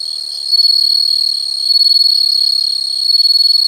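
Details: An unbroken shrill insect trill, high and buzzy, holds steady throughout with gentle rises and falls in volume.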